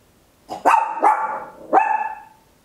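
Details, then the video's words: Tiny Papillon dog barking at home in a quick run of three loud yelping barks, each ending in a sustained, tonal ringing note, close together within about a second and a half. "Tiny Dog Barking Very Loud, Papillon"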